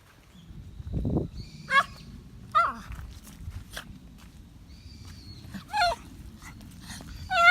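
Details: Toy Poodle outdoors on an evening walk during a typhoon lull on 29 October 2017, hurrying to the hill behind home: several brief, high, downward-sliding yips spaced a second or more apart over a steady low rumble of wind.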